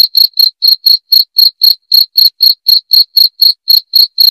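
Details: Loud, clear cricket chirps: a tight, even series of bright high-pitched pulses, roughly four each second, with no pause and no other sounds.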